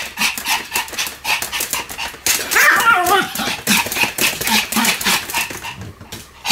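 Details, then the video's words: Pomeranian spinning and barking without stopping; quick clipped yaps mixed with clattering footfalls, with one brighter, wavering yelp standing out in the middle. "超高速回転 ポメラニアン サムの連続吠え"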